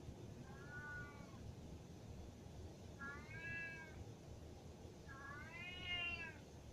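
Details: Male house cat meowing because he wants to go upstairs, yelling at his owner indoors: three drawn-out, slightly rising then falling meows about two seconds apart, each louder than the last, over low background hum.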